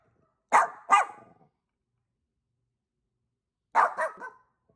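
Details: Angel, a pet dog in Vancouver, British Columbia, Canada, barking back at the neighbour's barking dogs; two quick sharp barks close together, a pause of about three seconds, then a further double bark.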